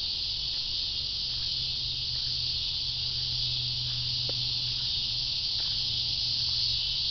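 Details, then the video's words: Cicadas: an unbroken, high, hiss-like buzz at steady loudness, with a faint low hum and a single soft tick in the middle. "Cicadas: part 2"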